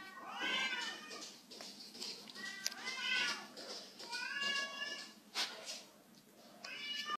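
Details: Indoor domestic cat struggling on a waxed floor, giving several short wavering meows about a second apart over faint background hiss and a few sharp clicks.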